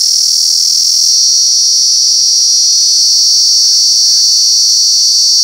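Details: In Alaveddy, Jaffna, a cicada keeps up a deafening, piercing high drone, a flat continuous sizzle without pauses, steady and loud across the whole stretch.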